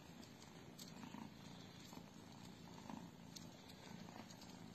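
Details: Purring British Shorthair cat from the Aristo Cats Cattery: a close, continuous low rumble that swells and fades with each breath, roughly once a second.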